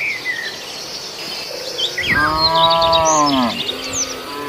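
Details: A grazing cow eating green grass, one of a herd of beef cattle raised for sacrifice. One long, steady, nasal moo of about a second and a half. Busy twittering birds are heard before and after the call.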